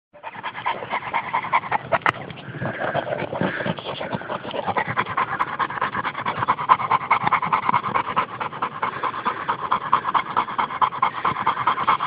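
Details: A French mastiff (Dogue de Bordeaux) pants while enjoying the sun: steady, breathy, rapid huffs at about two per second, continuous and noisy throughout, with no other clear sounds.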